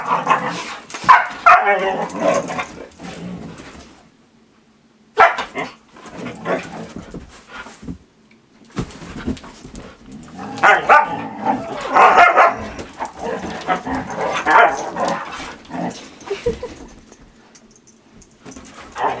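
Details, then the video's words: Several Siberian Huskies are teased with treats and squabble over one, producing repeated barks, yips and grumbling talk-like vocalisations in bursts across the recording. A short silent gap breaks the bursts, and a person speaks to the dogs. "Teasing My Huskies with Treats"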